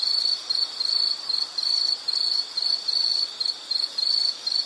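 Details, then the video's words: Insect producing a high, ringing trill chopped into rapid pulses, short bursts following one another roughly twice a second, with a faint background hiss. "Sound · Nature Sound of nature sounds scenery L · insect"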